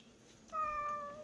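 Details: Indoor recording of Bomi, a sweet-voiced cat at a quiet island-village shelter for about 40 rescued cats and dogs, giving one clean, sustained meow that starts abruptly and stays level until the end.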